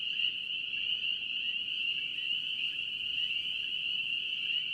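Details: Spring peepers calling in North Carolina, a dense chorus merging into one steady, shrill, high-pitched ringing tone that barely changes in loudness, with faint low background rumble.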